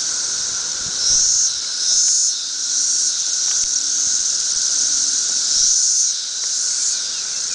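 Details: A dense chorus of periodical cicadas from a thirteen-year emergence covers a tree. The high whining drone swells and fades in waves every one to two seconds over a constant hiss.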